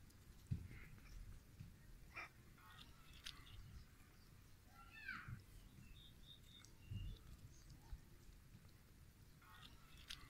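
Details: Cat among a group of cat and kittens giving one short, arched meow that rises and falls near the middle, fairly faint, over a low rumbling background with a few soft high chirps.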